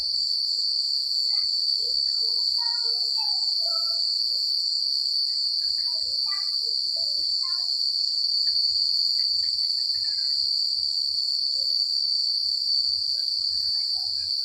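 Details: Crickets at night away from the city, producing a constant piercing trill without pause, while a few soft, scattered lower chirps and faint rustling of leaves and wind sit in the background.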